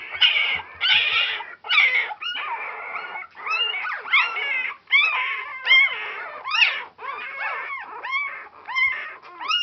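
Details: A litter of Border Collie puppies only four days old squeals in bursts of arched, wavering cries, roughly one a second, several voices overlapping, a few faint low thumps at the start.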